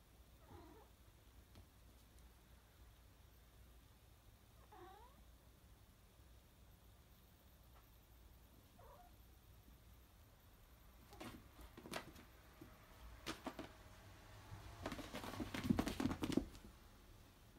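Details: A Norwegian Forest Cat, meeting a new Kinkeshi figurine, gives three soft, arching meows a few seconds apart, followed by sharp clicks and rustling.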